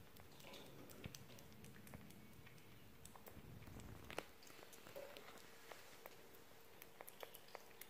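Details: Pet sugar glider just eating, with a run of soft, irregular crunching and clicking chews over a quiet indoor background.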